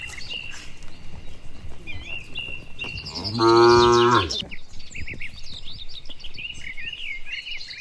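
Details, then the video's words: Dozens of tame cattle walking back to their shed on a quiet rural road in the warm afternoon; one loud, sustained moo of about a second, set among steady chirps and short whistled phrases from small birds. "Suara Sapi Moo"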